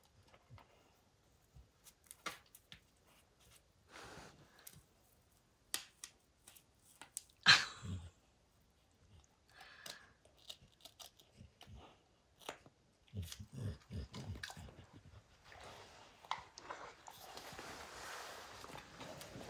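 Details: A dog named Max, intent on a baseball, tears apart its leather hide. Sharp isolated bites and clicks with silent gaps, one loud crack near the middle, then steadier rough gnawing toward the end.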